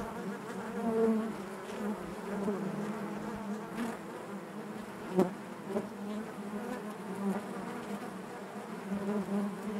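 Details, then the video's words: Honey bees buzzing inside their hive, a dense steady drone with a low hum and layered overtones, broken by occasional soft knocks and clicks of bees moving against the comb. "bees therapy hive natural buzzing sound"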